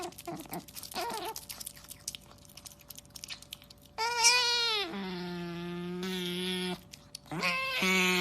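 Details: Otter noises starting with soft scattered chirps, then sliding high squeals and drawn-out moaning whines that hold steady before ending in a sharp rising squeak.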